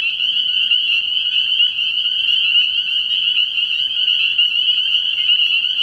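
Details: Nighttime early-year frog pond with spring peepers in full chorus: countless high, sharp peeps stacked together into a constant, pulsing shrill drone.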